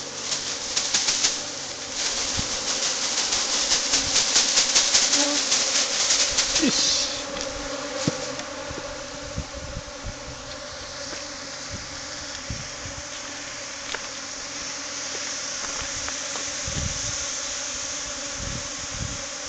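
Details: Japanese honey bee swarm that fled its hive after an early honey harvest, tracked and recaptured while resting, then returned to its original hive box. A steady droning hum with dense buzzing, loudest in the first seven seconds, with scattered knocks and clicks.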